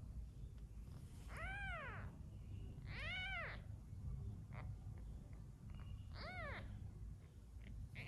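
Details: Cat calls around a litter of newborn kittens being hand-fed because the mother cat lacks milk, after one kitten died. Three loud, arched meows spaced a second or more apart, plus softer short squeaks, over steady low rumbling noise.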